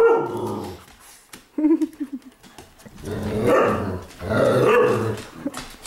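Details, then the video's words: Household dogs roughhousing in a living room at night, giving deep growls and short barky yips, a brief high whine, then two rising, rumbling growl bouts; paws and movement audible. "Dogs Playing Inside"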